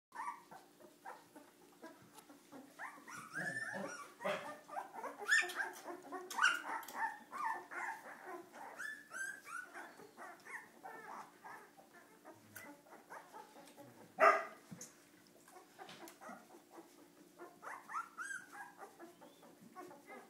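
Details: Cardigan Welsh Corgi puppies misbehaving indoors, several voices overlapping in high, yelping barks and whiny harmonic cries, bursts clustered around five to eight seconds and a sharp loud yelp near fourteen seconds, a steady low hum underneath.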